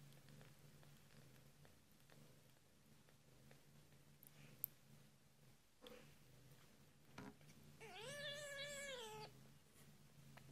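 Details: A British Shorthair kitten just a few days old, at feeding time, gives a single high, wavering mew lasting over a second.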